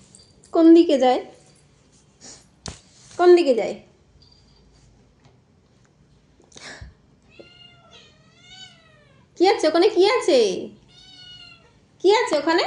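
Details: Domestic cat meowing indoors in a small room, four loud drawn-out meows spread over the stretch, the third long and wavering, with quiet faint tonal sounds and a sharp click between them.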